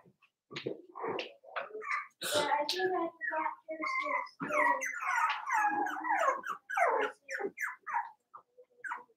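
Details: Four-week-old Cavalier King Charles Spaniel puppies from Daisy's litter in an indoor pen, giving a busy run of short high whimpers and squeaky yips, overlapping one another, with a human voice mixed in.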